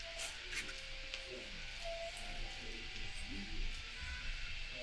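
Guitar music plays with faint speech and no animal sound.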